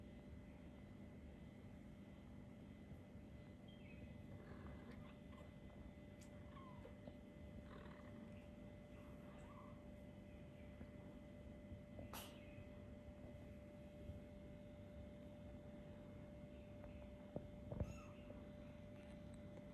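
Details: Kittens about four weeks old, just starting to play and look around, give a few soft, brief meows scattered through the recording over a steady low indoor hum, with a louder cluster of squeaky calls near the end.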